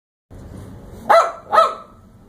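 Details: Dogs from a pack of four (Chihuahua, Maltese/Pekingese, Yorkshire Terrier, Shar Pei/Lab mix) at the Ocean Villa Inn at Dog Beach give two short, sharp barks about half a second apart over a faint background murmur.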